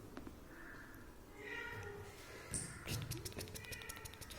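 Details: A cat gives a drawn-out, fairly high meow that holds steady and then fades. Clicks and rustling follow, and a faint human voice sits low in the background.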